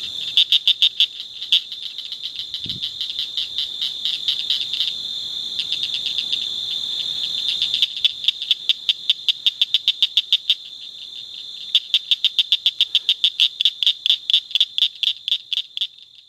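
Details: Blanchard's cricket frog (Acris crepitans blanchardi) calling along the Nueces River bottom, La Salle County, Texas: sharp, high clicks in quick series, like pebbles tapped together.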